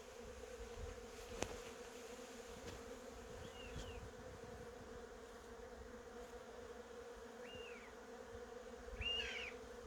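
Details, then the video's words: Honey bees droning among blooming cherry trees, a constant level hum, with a few faint high bird chirps and a louder chirp near the end. "벚꽃과 꿀벌소리"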